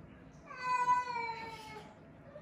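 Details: One long, thin, gently falling meow from a frail rescued kitten, found with its sibling leaning on each other on the way back from a family funeral; quiet background.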